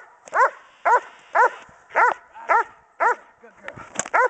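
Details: Pregnant female German Shepherd Dog in Schutzhund bark and hold training, January, litter due in three weeks: loud, sharp barks repeated about twice a second in a steady rhythm, nine or so in a row.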